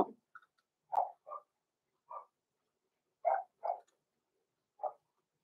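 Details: Six-week-old Cavalier King Charles Spaniel puppies, blenheim littermates Roman and Blue, in a home puppy pen. A string of about seven short, high puppy barks and yips, irregularly spaced, sometimes paired, over the quiet room.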